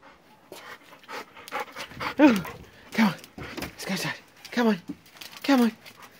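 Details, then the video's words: Excited at his owners' return from work, nine-month-old Old English Sheepdog Teddy, recently shaved for summer, gives short falling whines, four of them spread over six seconds, amid panting while a person coaxes him inside. "Teddy excited as we arrive home from work!"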